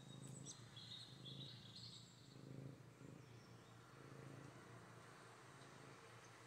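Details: Katalina, a Maine Coon cat, purring while cuddly after a bath: steady low rumbling purr with rhythmic breath pulses over a constant hum, and faint high bird chirps in the background.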